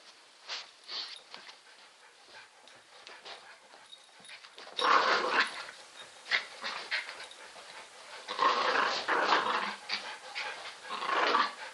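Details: Roxy, a terrier that likes to spin, gives rough, noisy growl-like bursts while rotating. Scattered soft sounds fill the first half, then louder grumbling rushes follow near five, eight and eleven seconds.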